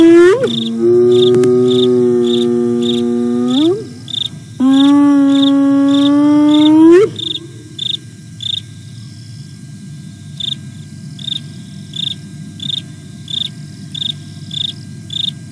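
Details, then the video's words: Two drawn-out whoops with upturned endings from a hyena contact calling at a camera in Sabi Sands, South Africa, on 08 09 2022, followed by several seconds of only rhythmic cricket chirping. "Hyena visits and contact calling (Aggro and Spoon)"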